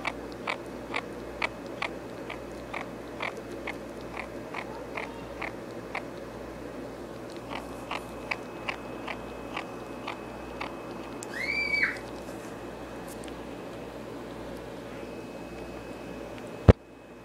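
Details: A female ferret eating off her owner's lap makes a brief, high, arching squeak over steady crunchy chewing clicks; the owner does not know what the noise means.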